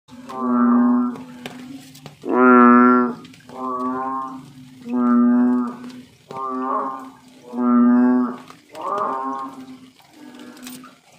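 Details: Bullfrog calling with deep, droning, cow-like moos: eight rich harmonic notes about a second long each, spaced roughly a second or more apart over eleven seconds, some louder than others.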